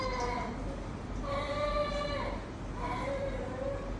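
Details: A talkative, affectionate cat named Ton Ton at the vet meows three times, the middle call long and sustained, the others shorter and dipping at the end, against a steady low background rumble.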